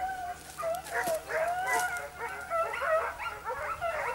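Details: Segugio Italiano hound Sofiko baying on a hare in Evros, Greece, on 22 October 2023: overlapping high, ringing yelps that slide up and down, with quick rising and falling tones in a rapid, uneven stream.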